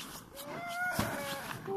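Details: Single rising howl from a Siberian husky at a husky farm in Rovaniemi, Finnish Lapland, sweeping upward and then levelling off, followed by a short knock and another voice starting.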